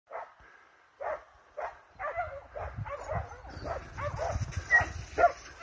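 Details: Hounds and Russo-European Laikas chasing a wild boar. A few loud separate barks open the clip, then rougher, overlapping yelps run over a low rumbling background.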